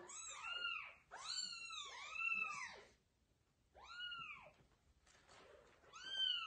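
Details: Kittens carried by the mother cat to a new place call out with loud, arching meows in quick bursts, separated by a quiet gap, with faint rustling between calls.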